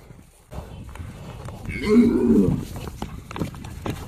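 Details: Himalayan yak, a high-altitude animal, giving one short, low, moo-like grunt of under a second midway through, with a faint rising harmonic tone above it, set against steady background rustling and low noise.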